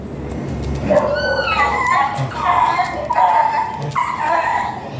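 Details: Golden Retriever at a stud service in Binalonan, Pangasinan, giving a run of high, wavering whimpers and whines, each drawn out for about a second, over a noisy background.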